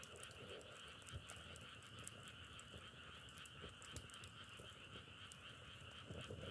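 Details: A steady chorus of frogs holds an unbroken two-layered trill throughout, while crackling firewood snaps and pops irregularly over a low rumble.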